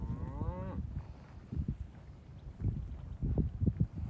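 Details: Charolais, Beefmaster and Braford cows, 3 to 7 years old, in a group of 25 on a ranch, bred to a registered Angus bull: a single short moo rising then falling, followed by dull thuds and shuffling of cattle moving.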